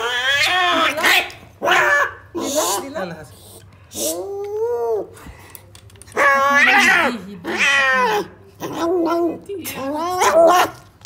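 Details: A cat at the vet in Algeria refusing to eat, giving loud drawn-out meows and complaining yowls with rising and falling harmonics, repeated in bursts about every one to two seconds, with human voices mixed in.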